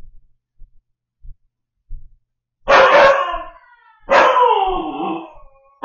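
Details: Husky puppy alone at home howling in distress: two long howls that start loud and slide downward in pitch, preceded by faint scattered low thumps.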